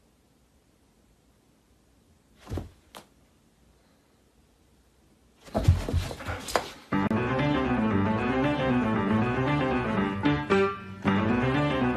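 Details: A couple of thuds break near-silence, then a burst of noise gives way to a keyboard melody with steady repeated chords.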